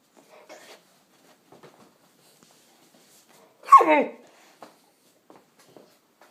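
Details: Odin, a five-month-old Cane Corso puppy, gives one short yelping whine that drops steeply in pitch, with faint soft clicks and quiet room sounds before and after.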